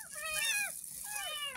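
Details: Kitten only ten days old, rescued from a drain, crying while being bathed for the first time: two thin, high mews, each sliding downward, heard quietly over a steady rushing hiss.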